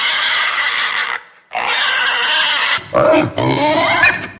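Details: A pig gives a run of loud, harsh, raspy grunts, then a short pause, followed by higher, squealing, nasal oinks in quick succession.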